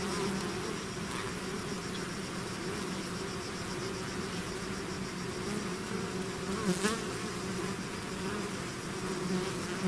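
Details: Thick buzzing of a bee swarm leaving the hive, a constant droning wash with faint higher whines and occasional close bees flicking past.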